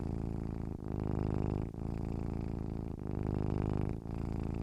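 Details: Domestic cat purring, a low continuous rumbling vibration that swells and eases with each breath, brief breaks about once a second.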